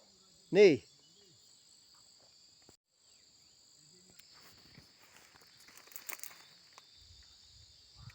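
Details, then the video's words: Cicadas in a forest, giving a steady, unbroken high buzzing drone with two even bands throughout, joined by a short burst of a human voice near the start and soft footsteps and rustling later on. "Forest of cicadas insects"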